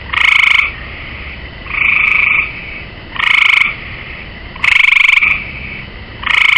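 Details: Pulsed, slightly musical trills from a gray tree frog resting on a swimming pool's rail: five bursts, each lasting under a second, repeated about every one and a half seconds against a low background hiss.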